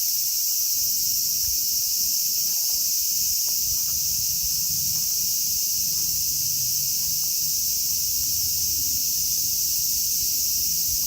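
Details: Loud, dense cicada song in Kitatama District, Tokyo, Japan, where Platypleura kaempferi, Graptopsaltria nigrofuscata and Hyalessa maculaticollis occur: an intense, even, sizzling drone filling the whole recording, with scattered faint ticks and low rumble beneath.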